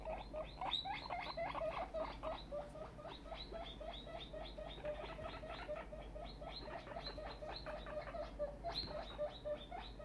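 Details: Excited guinea pig, a young female that has grown bigger, producing dense runs of sharp rising squeaks, rapid and continuous for ten seconds, with occasional louder high notes.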